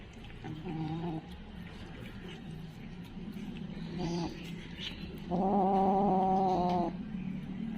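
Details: Kitten giving short harmonic cries, then a longer steady drawn-out call near the end, over a low background hum.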